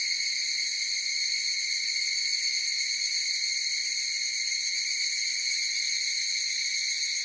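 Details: Unbroken high-pitched ringing from a higurashi cicada chorus, a layered shrill tone steady from start to end with a fine trembling texture and nothing else audible in the background.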